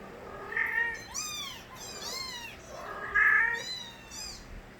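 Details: Stray kittens crying loudly, several overlapping high meows that rise then fall, some short and bright, others longer and drawn out, arriving in bursts about every second with faint background hiss.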